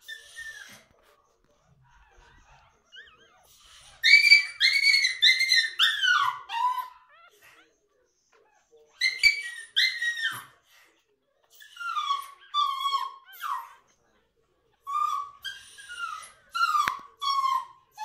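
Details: Toy Schnoodle pups only a few days old, a litter of seven from Opie, a Liver and Tan toy Miniature Schnauzer, and a cream Toy Poodle. High squealing whimpers slide downward in bursts of rapid notes separated by short silences.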